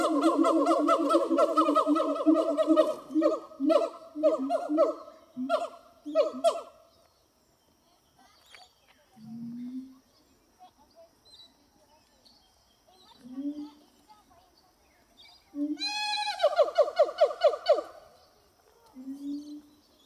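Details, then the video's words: Two captive siamang gibbons singing on a hot summer morning, 6 August 2018, at Zoo de La Fleche: a fast run of loud harmonic barks, then scattered low booming notes, then a burst of steeply rising shrieks and more booms. "Singing Siamang Gibbons"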